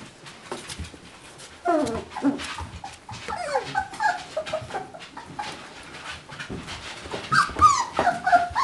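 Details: Four-week-old beagle puppies from one litter, indoors: short rising and falling whimpers and squeaky yips in scattered bursts, with rustling and household noise between calls.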